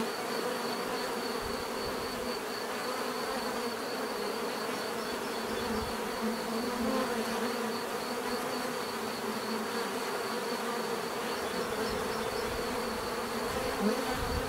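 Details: Bees produce a continuous natural buzz meant for relaxation, a thick swarm-like hum where individual passing insects briefly rise and fall in pitch over a constant background drone and thin high whine.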